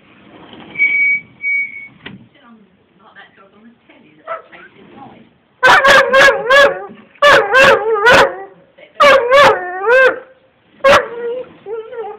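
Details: Angus, a Gordon Setter having a mad moment, filmed on an Android phone. Quiet whistle and faint voices first, then loud bursts of wavering, howl-like yips, several in quick runs, through the second half.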